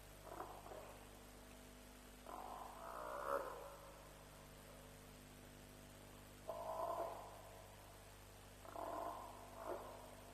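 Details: Around 3:00 am at Djuma on 07/03/07, at a lions' kill, an African buffalo repeats hoarse, throaty bawls, five or so in ten seconds, some broken into two pulses, with a faint constant hum underneath.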